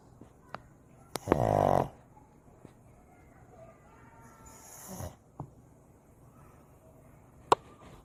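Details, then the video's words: Sleeping Shih Tzu puppy named San snoring: one loud, rasping, harmonic-rich snort of about half a second, then a fainter breath near the end, with quiet room hush and a few sharp clicks between. "코골이 강아지 풀버전"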